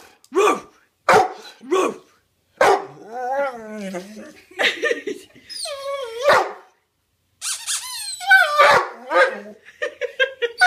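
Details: Otis, a pet dog, asking for a new toy: a few sharp yelps, then a run of drawn-out, wavering howl-like 'talking' calls that rise and fall, broken by short pauses.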